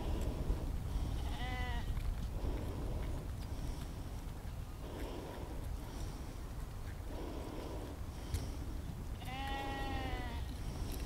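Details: Sheep outdoors in nature, recorded as immersive spatial audio using an Insta360 X3 and Zoom H2n. Two clear, quavering bleats rich in harmonics, one early and one near the end, separated by quiet rustling and low background rumble.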